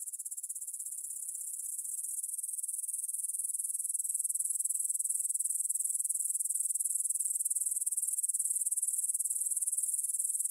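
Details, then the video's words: Grasshoppers in a field near the Svensky monastery, Bryansk, Russia, recorded at 9pm on 6 September 2020 with a Tascam DR-44WL; sustained, very high rasping trill of fast regular pulses, building slightly in loudness over the first seconds. "Звук для сна: кузнечики на лугу – Grasshopper Sounds in the Field for a Quick Sleep"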